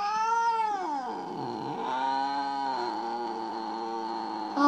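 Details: Still jealous and complaining, the pet cat Mo keeps up a wavering, moaning yowl that sags low in pitch after the first second, then climbs back and holds steady to the end.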